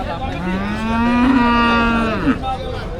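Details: A heifer calf moos at the Sharulia cattle market where calves are being sold: one long, loud, harmonic-rich low moo lasting about two seconds with a slight rise, ending in a brief break, over crowd murmur.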